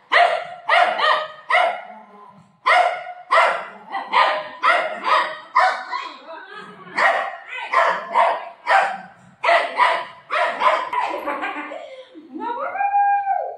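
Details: Golden retriever playing with its mom at home gives a long run of sharp, quick barks, about twenty in rapid bursts with short pauses. The run ends in a drawn-out, whiny tone, and faint voices can be heard.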